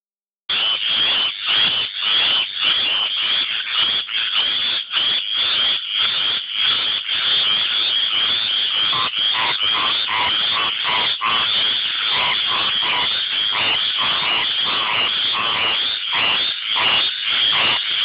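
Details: Tree frogs singing to attract mates, a dense chorus of rapid, rasping high-pitched calls repeated almost without pause, pulsing about every half second.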